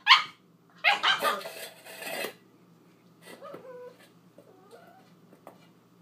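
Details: Eight-week-old female husky/poodle mix puppy playing with her dish gives a quick high yip, then a burst of several shrill, overlapping barks and yelps, followed by quieter whiny squeaks and soft grumbles.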